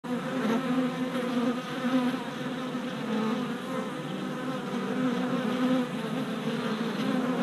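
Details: Worker honey bees on orientation flights at a new hive in late April, four days after a package was installed; a dense, steady droning hum of many wings, with brief louder passes of individual bees near the recorder.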